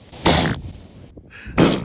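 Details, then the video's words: Elephant seal in a very cold setting, filmed February 2019, gives two loud, wet, explosive sneezes, each a broad spluttering burst likened to farts. "So here is the noises that elephant seals make when they sneeze."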